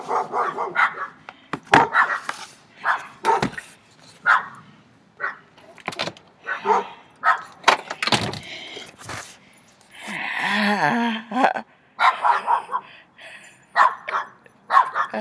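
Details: Three dogs barking very loudly, close by: short harsh barks in irregular bursts, some overlapping, with a longer yelping stretch partway through and quieter gaps between volleys.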